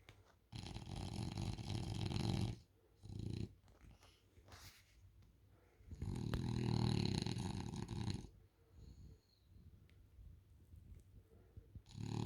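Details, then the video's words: A French Bulldog asleep on a couch snores indoors: two long, rough, rasping inhalations of about two seconds each, with a deep rumbling base, a short snort between them, and quiet breathing in the pauses. "French Bulldog Snoring"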